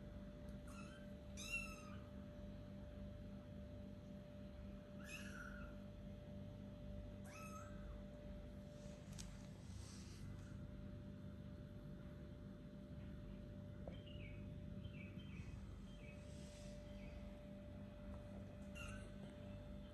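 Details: Four-week-old kittens starting to play let out a few short, high meows in the first seven seconds, then mostly quiet rustling and a steady background hum.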